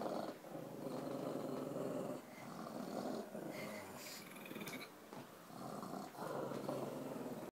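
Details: Female pugs snuffle and make snorting grunts in a steady, raspy rumble broken by brief pauses.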